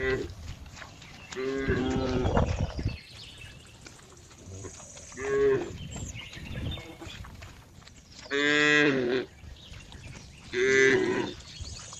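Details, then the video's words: Cow calls amid a busy background of rustling and low rumbling noise, with a few clear harmonic moos standing out later, the loudest two near the end. "cow funny sound"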